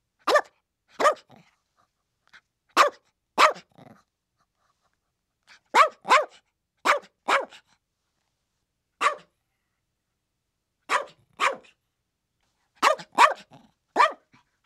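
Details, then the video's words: Chihuahuas barking: about fifteen short, sharp, high yaps in pairs and bursts, separated by pauses of up to two seconds, with no other sounds in the background. "Chihuahuas Barking 🐕 How Cute is this Chihuahua's Bark?!"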